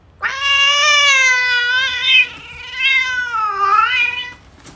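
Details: Persian-Angora cat giving birth indoors in a box: a loud, long, drawn-out meow with rich stacked harmonics, holding steady then wavering, followed by a second rising-and-falling wail, quiet room behind.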